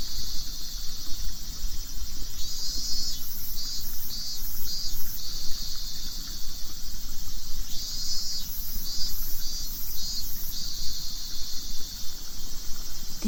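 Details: A cicada in the countryside of Nagano, Japan, sings a high, shrill drone broken into pulsing phrases, heard in Japanese as "miiiin-min-min-min", over a low rumble of wind.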